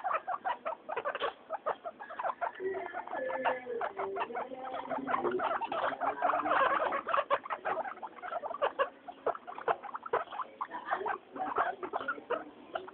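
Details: Happy pet guinea pigs on their weekly floor time make a steady stream of clipped squeaks and chatter. Low gliding, rumbly tones weave underneath the quick pulses.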